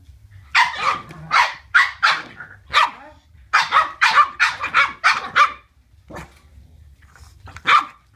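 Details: Boston Terriers playing, giving bursts of sharp, high barks in quick runs of three to five, with short pauses between volleys and a lone bark near the end.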